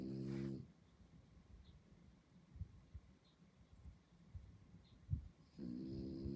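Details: A French Bulldog puppy sleeping at night in Singapore, snoring: low rough rasping breaths with louder harmonic snorts at the start and end, soft irregular snuffles in between in a quiet room.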